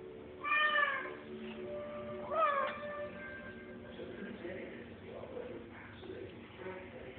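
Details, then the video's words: Cat hunting a fly indoors and making strange sounds: two clear bent meows, the second sliding upward then down, followed by quieter murmuring chirps and faint rustling. "cat chasing a fly making weird noises"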